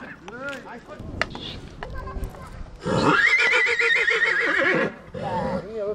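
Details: Stallion at Vicovu de Sus, Bucovina, in 2024 gives a loud two-second whinny with a quavering, wavering pitch. A man speaks before it, and there are short clicks and knocks. Voices return right after the neigh.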